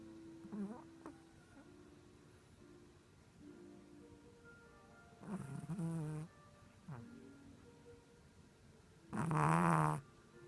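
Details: Chihuahua sleeping on its back indoors, snoring like a person: two rough, low snores, a short one near six seconds and a louder, longer one near the end, over faint steady tones and quiet room hiss.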